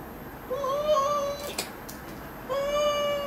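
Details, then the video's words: Pet cat protesting during claw trimming, giving two steady, tonal meows two seconds apart, the first slightly wavering, with a few soft clicks between them. "고양이 발톱깎이기"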